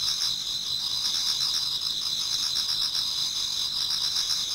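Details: Many autumn insects singing in a Japanese garden towards dawn: a steady, dense high-pitched shimmer of overlapping trills, with softer rapid pulsing beneath, unbroken throughout.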